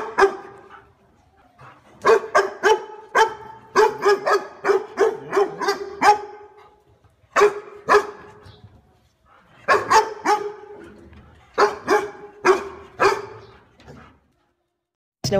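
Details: Two male dogs barking at strangers: sharp, mid-pitched barks come in rapid bursts of three to six, separated by short silent pauses, continuing loud and insistent throughout.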